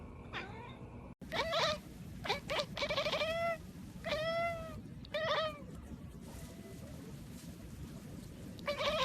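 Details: Kittens talking with a burst of short, clear meows, some quick and clipped, others slightly falling, coming in an uneven cluster, then a pause and a last meow at the end.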